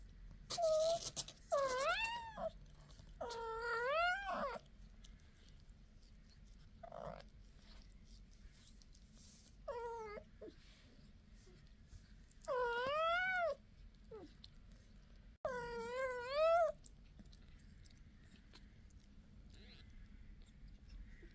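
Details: Mother cat talking to her kittens, a long series of drawn-out, wavering meows with rich harmonics, some rising then falling, spaced every few seconds, with short quiet chirps between; faint low background hum.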